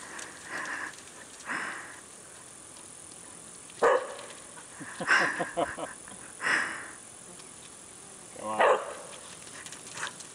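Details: Whippets, Loretta and Django, meeting a horse for the first time outdoors: four short, sharp barks spaced a second or two apart, with soft human voices near the start.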